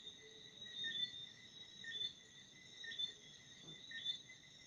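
Crickets chirp at night, a steady high trilling with louder chirps about once a second.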